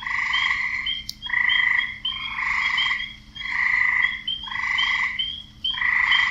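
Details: Croaking male frogs calling for females, a dense chorus of grating, pulsed croaks in overlapping bouts, broken by short quiet gaps, with bright chirp-like notes above and one sharp click.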